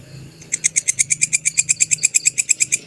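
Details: Belalang kecek grasshopper recorded for songbird training: after a half-second quiet start, a fast burst of bright, high, clicking pulses repeats about eight times per second over faint low background hum.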